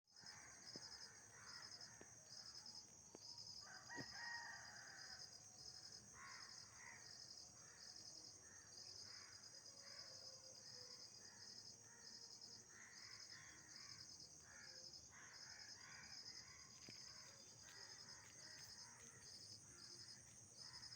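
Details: Nocturnal insects calling at night: a steady high shrill hum runs throughout, overlaid with rapid pulsed chirp bursts repeating about every half second. Lower, rougher calls, possibly a distant rooster, surface intermittently behind them.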